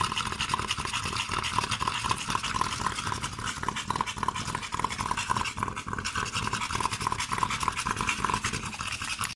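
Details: American Staffordshire Terriers in Svibovec, Podravina, Croatia: fast, steady, breathy panting pulses running without pause through the whole recording, with a hissing broadband texture and a slight rhythmic throb.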